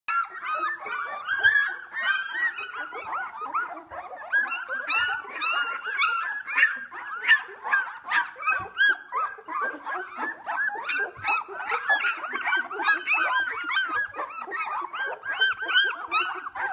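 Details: Litter of two-week-old Australian Labradoodle puppies at Pine State Australian Labradoodles, eyes just opening, at play: a dense chorus of overlapping high squeaks, whimpers and yips from many pups at once, continuous throughout, indoors.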